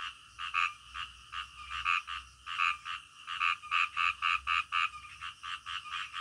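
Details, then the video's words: Frogs croaking in the middle of the night, distinct nasal croaks spaced roughly under a second apart in uneven runs, a few callers trading notes over a low background murmur. "SUARA KODOK DITENGAH MALAM"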